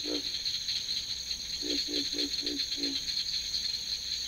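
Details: Pig frog, a species with internal vocal sacs, in a 1958 archival recording: deep, grunting croaks, one alone, then five in quick succession about a third of a second apart, over a steady high-pitched insect-like chorus.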